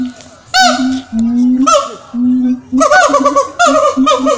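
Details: Siamang in a zoo at Jurug, Solo, Central Java, Indonesia, giving loud hooting calls: short rising notes with rich overtones, separated by brief pauses, building toward a cluster of quicker barking hoots at the end.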